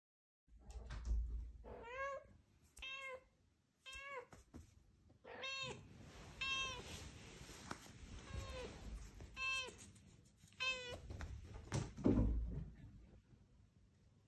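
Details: Fumiko, a female Scottish Straight cat, brings back a ball and asks for it to be thrown again. About eight clear, rising-falling harmonic meows come in quick bursts, with soft thumps and handling noise between them indoors.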